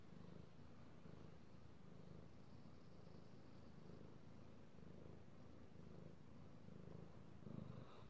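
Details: Domestic cat, male, purring while being petted indoors, recorded 16 March 2018: a steady low rumbling purr with soft pulsing bands, continuous throughout, faint rustle of petting near the end.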